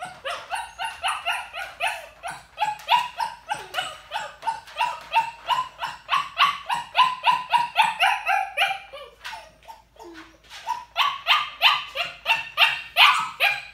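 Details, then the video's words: Puppy confined in a crate and deliberately ignored, barking from crate anxiety or demanding behaviour: long, fast chain of sharp high barks, several per second, briefly faltering into a whimper midway before the rapid barking resumes. "I'm gonna show just real quickly a clip of particularly the young puppy Loki whining"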